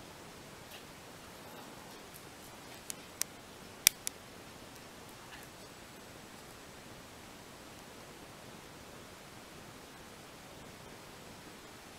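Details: Quiet indoor hiss with a few sharp clicks and ticks clustered between three and four seconds, and no animal voice.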